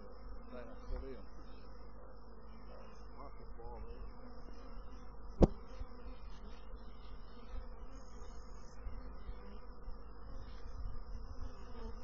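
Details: A continuous low drone from honey bees, even and full, with a single sharp click near the middle and a few softer ticks.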